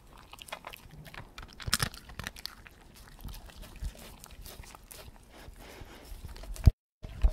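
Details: Slow-feeding dog chewing steadily, a dense run of low, muffled crunches and wet mastication sounds with a few louder bites, ending in a brief cut of silence.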